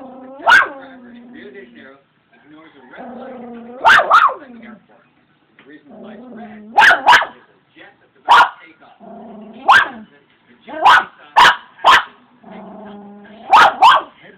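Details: Missy, a pet Shih Tzu, barking while playing: short sharp barks in pairs and singles, spaced one to two seconds apart, with low growly vocal sounds and voices between them.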